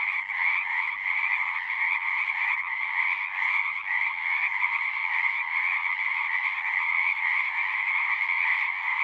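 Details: Chorus of many singing frogs, a continuous wall of rapid overlapping trills in a high and a mid band, steady in loudness throughout with no gaps and no other sounds.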